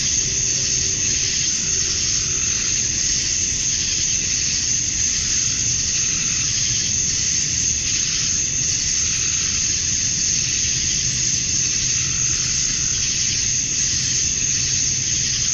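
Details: Summer-dusk chorus of male cicadas in Georgia, USA, singing to draw females: a continuous high, hissing buzz with a piercing sustained tone on top, gently swelling and easing every few seconds over a faint low background hum.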